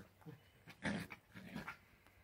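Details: A playful Dachshund, or sausage dog, lets out a short, throaty growl-like burst lasting a fraction of a second, followed by softer grumbling noises that rise and fade.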